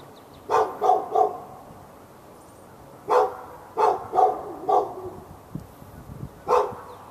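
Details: Fenced dog in Raleigh, North Carolina, barking nonstop from morning into afternoon on February 15, 2012 at the dog next door. There is a quick burst of three barks, a pause, a run of four barks, then a single bark.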